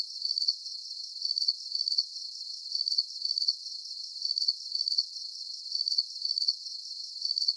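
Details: Rhythmic cricket chirping: sharp high trills of quick pulses, bunched in steady bursts roughly every half second, with only a faint hiss beneath.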